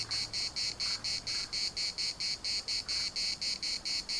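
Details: A municipal park in Larnaca filled with cicada song: a piercing, sizzling buzz broken into even pulses, about three per second, with a quiet background.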